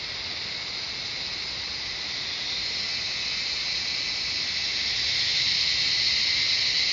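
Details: A shrill cicada chorus in the Shivapuri Nagarjun National Park jungle outside Kathmandu, Nepal: a high rasping drone, rapidly pulsed, that gradually builds in loudness with a brighter sizzling edge entering in the final seconds.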